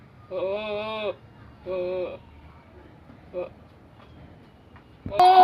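A goat gives two long, wavering, nasal bleats, then a brief third call.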